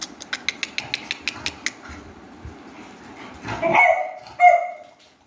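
Beagle puppies give two brief, high-pitched yelping cries after a quick run of clicking taps.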